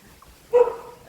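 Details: A dog barks nearby, frightening a fledgling coucal chick that fell from its nest. A single short, sharp bark breaks a quiet background.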